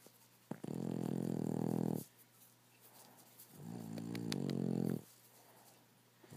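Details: Sleeping rescue Boston Terrier and French Bulldog mix snoring: two long, rough, rattling breaths each lasting over a second, separated by quiet pauses, with a faint steady hum indoors.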